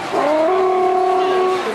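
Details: Alaskan Malamute in the ring at the Jyväskylä International dog show, giving a short, steady howling whine that rises briefly and then holds a level tone for under two seconds, with faint crowd murmur behind it.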